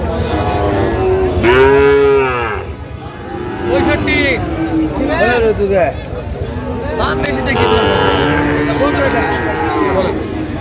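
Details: Sahiwal bull calves at a cattle market in Brahmanbaria, Bangladesh, on 19 December 2025: several drawn-out, harmonic-rich moos, one loud bellow near the start and more overlapping lowing later, over steady crowd chatter and market noise.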